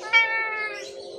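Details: Hungry stray cat suffering from severe scabies, crying for help at a house; one loud, clear meow with a sharp onset, held level and then fading.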